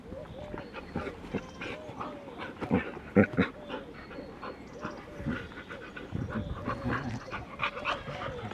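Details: Border Collie-type puppies from Glycine's litter, bred on the Domaine des Tourelles farm, nursing from their mother; soft, short squeaky whimpers repeat about twice a second, with a few sharper clicking sounds in the middle.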